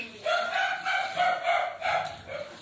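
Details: Alaskan Malamute singing to welcome a visitor at the Harbin Li Liu small animals rescue camp in China, home to over 3000 stray dogs: a drawn-out, wavering, tonal howl in several linked pulses, with voices close by.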